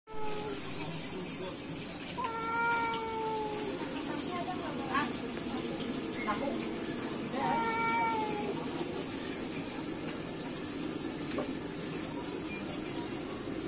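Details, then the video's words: Ginger cat challenging a tabby cat to fight: long, drawn-out, wavering yowls with falling ends, one stretching about a second and a half and another coming several seconds later, over a steady high hiss and low background rumble. "GINGER CAT CHALLENGING TABBY CAT TO FIGHT"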